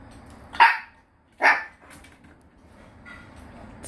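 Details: Maltese dogs eating peaches; two sharp, high, clipped barks about a second apart, followed by quieter faint sounds and a low background murmur.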